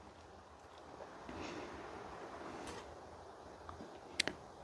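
Low room noise with soft rustling and a couple of sharp clicks near the end; no animal voice is heard.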